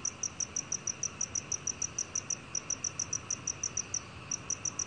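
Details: Black cricket from Korea's National Institute of Biological Resources, 2020: a steady train of short, high, clear chirps repeated several times a second, with one brief pause near the end, over a soft hiss.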